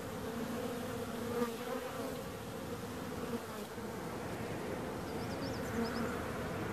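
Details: Steady humming drone of bees with a few brief high chirps of another creature in the second half.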